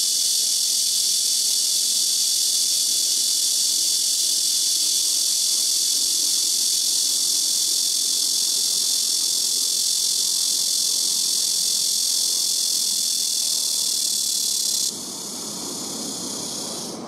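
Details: Black cicada singing very loudly in trees by a house roof: a continuous shrill buzzing drone runs steadily for about fifteen seconds, then cuts off suddenly, leaving a quieter, thinner hiss.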